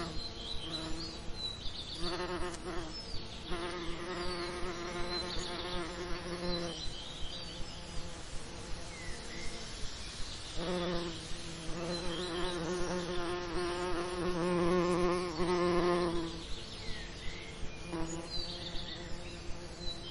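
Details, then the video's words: Bees visiting summer lavender, their deep humming buzz arriving in several drawn-out passes, louder and fuller in the middle stretch, with regular soft clicks and faint high twitters behind. "Relaxing Lavender Summer Ambience & Bee Sound Effects"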